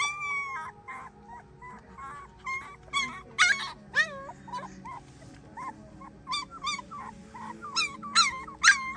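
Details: A female German Shepherd puppy gives high, wavering howls mixed with short yips and whines.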